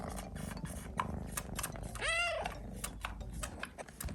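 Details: Hungry Japanese kitten loudly yelling at its owner indoors after he overslept about ten hours past feeding time; one drawn-out, arching meow rises then falls, standing out over background music with rhythmic clicks.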